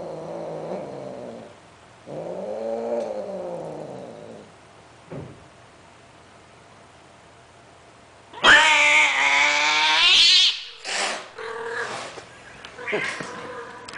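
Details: Mating sterilized cats, a Greek short hair and a Siamese, very loud: softer low moaning yowls first, then a sudden harsh, screaming shriek with rough noisy texture, followed by several shorter squalling cries.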